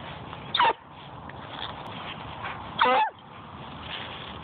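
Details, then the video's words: Melody, a hound dog at a dog park, being extra vocal: two brief woo calls about two seconds apart, each a short harmonic rising-and-falling tone, over steady background noise. "Melody Wooing at the Dog Park"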